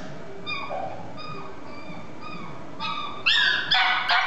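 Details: Male Chihuahua × Toy Poodle mixed-breed puppy whimpering: a run of short, thin, high whines repeated about every half second, growing louder into sharper yelping whines at the end.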